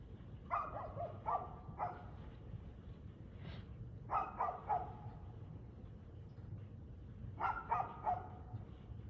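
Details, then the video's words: Dog barking on 6 February 2024 at 6:02 pm: three bursts of quick, fairly low barks, each burst holding about three barks, near 0.5, 4 and 7.5 seconds, over a steady low rumble. "Barking Dog"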